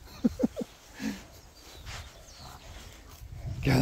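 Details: Siberian Husky picking up his best friend in his new ride, giving three short, quick rising vocal yelps within the first second, then a quiet pause before a louder, rougher noise at the end.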